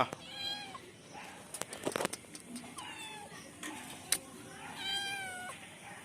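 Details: Cheerful kitten that keeps climbing trees, meowing in a series of high, tonal, slightly bending mews with rich overtones, some short and some drawn out, with scraping thumps and sharp clicks from the climbing between calls.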